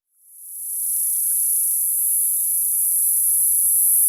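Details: Summer cicadas singing: a shrill, very high-pitched continuous drone that swells in over the first second, then holds steady and unbroken to the end, with faint low rumbles underneath.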